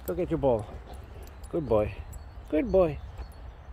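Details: Boxer named Rex, a dramatic talker always in a hurry to play, whines and 'talks' outdoors while the calendars are changed; three drawn-out, wavering moaning vocalizations about a second apart, each rising then falling in pitch.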